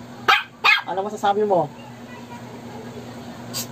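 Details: Shih Tzu reacting to a snoring prank: two sharp barks, then a rapid run of short tonal yelps or voice-like sounds, followed by near silence and a faint steady hum.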